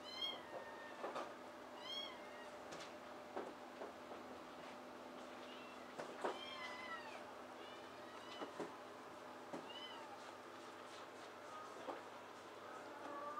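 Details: Adult rescued cats at Tokyo Cat Guardian's shelter cat cafe in Otsuka, Tokyo, where Tora, a tabby, chases and grooms her friend Hachiware: repeated short arching meows with rising-falling overtones, scattered through the room with small clicks and knocks.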